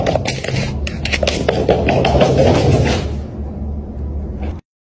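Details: Background music mixed with scraping, knocking and faint voices, fading out near the end.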